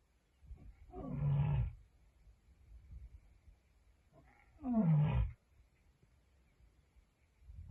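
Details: Lioness roaring to send a message: two deep grunting roars about three and a half seconds apart, each a low rumbling burst under a second long, with quiet background between.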